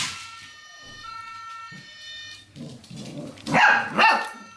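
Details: Dog from the Golden C-litter during training with acoustic and optical stimuli; warbling electronic siren-like tones give way to two quick, rough barks near the end, with scuffling noises.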